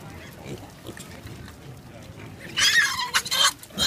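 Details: A wild boar on the roadside of Road 309 on New Zealand's Coromandel Peninsula gives harsh, broken squeals after a quiet start.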